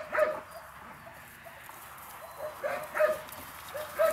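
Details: Playing puppies, eight weeks old, from a litter of four (two males, two females): a few brief squeaky yips, spaced out and fairly faint, over a quiet background hiss.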